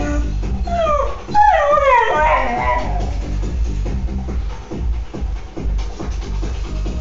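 A Siberian Husky gives a run of long, sliding whines, bending up and down in pitch, as it cries for a companion dog that has left. Rhythmic background music carries on after the crying fades.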